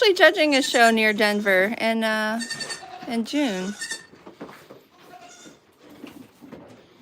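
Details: Goat at The Willful Goat Farm & Home, broadcast live, bleating loudly in a run of pulsing, trembling calls for over two seconds, then two shorter dipping bleats, fading into quiet background murmurs.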